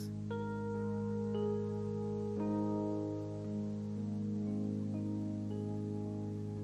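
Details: Only soft music of sustained tones and chiming mallet notes is heard, with no animal sounds.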